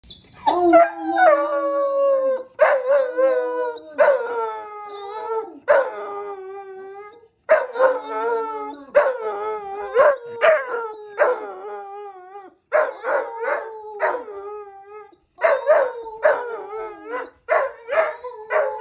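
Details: Wolfhound puppy howling on command: a series of drawn-out, wavering howls with rich harmonics, each sliding downward, repeated in several bursts separated by short pauses, with no other clear sounds.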